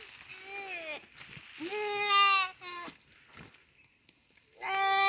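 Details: Goat being eaten alive by a Komodo dragon, crying out in three loud, strained bleats with rich harmonics. Each bleat is drawn out, and the first sags in pitch. A quieter gap follows before the final cry.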